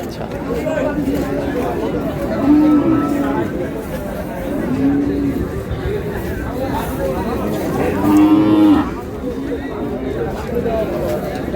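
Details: Cattle, thin dairy cows, at Ambari cattle market: several low drawn-out moos around the third, fifth and ninth seconds, over a dense murmur of crowd chatter and voices.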